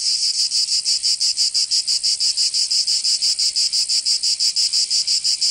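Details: Shrill summer song of cicadas in Provence, France, a loud, metallic, buzzy pulsing repeated roughly every third of a second in a tight, even rhythm throughout.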